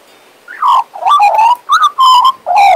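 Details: A Western Australian magpie, a pet, sings a continuous stretch of mellow, flute-like warbles around 1k, rich in overtones, in several rapid phrases over under three seconds.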